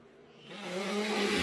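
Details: A caracal hisses in displeasure in January 2022, a rough, airy rush that builds fast and holds with a low throaty edge, while a person asks in Russian why it hisses.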